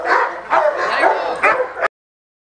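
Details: Three loud, harsh barks from a male Cane Corso in attack training, spaced about half a second apart, then abrupt silence.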